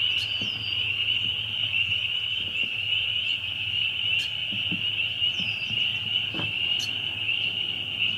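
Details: Loud group of spring peepers producing a constant shrill, high peeping drone, with occasional clearer rising single peeps and brief clicks over the top.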